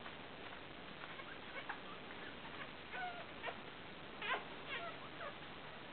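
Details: Newborn Fell, or broken-coated Patterdale, terrier pups, a litter of four boys and one girl born 29/7/12, squeaking in thin, short, wavering whimpers that overlap irregularly, some bending downward, against steady low hiss.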